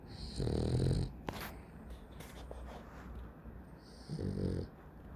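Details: Dog sleeping and snoring loudly: two deep, rasping inhalation snores about three seconds apart, each roughly half a second long, with a whistling overtone and quieter breathing between.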